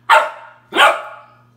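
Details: A 3-month-old Australian Shepherd puppy barks at his own reflection, giving two sharp, bright barks about half a second apart.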